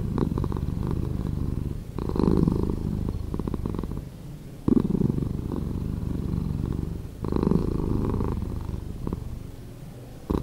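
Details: Domestic cat purring, edited to play slower: a steady low rumble with louder swells that recur roughly every two and a half seconds, and brief dips between them.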